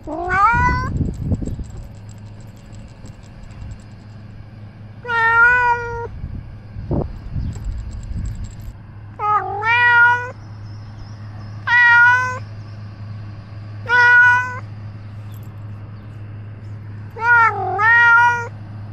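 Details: Ros, a pet cat wearing a small camera while roaming, gives a streak of meows: drawn-out harmonic calls, several with a rising or bending pitch, about every two seconds, over a steady low hum.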